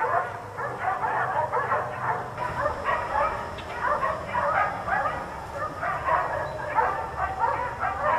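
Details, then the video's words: Several dogs left outside all day by neighbours bark continuously, overlapping barks repeating about twice a second with steady low hum behind. "4 Dogs Barking Allday"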